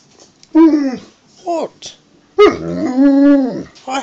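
An Alaskan Malamute 'talks' for food in drawn-out, wavering woo-woo sounds that rise and fall.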